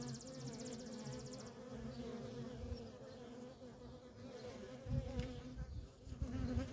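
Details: Feral colony of honey bees with worker traffic, a constant humming buzz overlaid by low rumbling thumps and knocks that grow louder toward the end.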